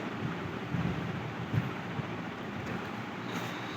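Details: Steady rumbling noise like wind or a passing vehicle, with a few faint knocks, and no animal sound.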